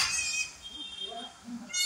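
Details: Farm of a Kodi goat doe that bore four kids, Kadayanallur, Tenkasi district: a short, high-pitched quavering bleat starts things, a quiet low murmur follows, and a further shrill bleat begins at the very end.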